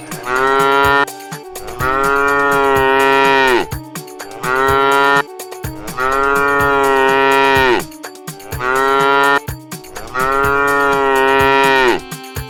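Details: Cow at a Qurbani cattle market in 2024, lowing in a run of five long, steady moos roughly every two and a half seconds, each ending in a downward slide, with music underneath.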